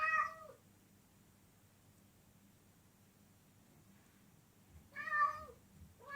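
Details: Domestic cat producing an odd sound: a clear, slightly wavering meow, a long silence, then another similar meow and the start of a third.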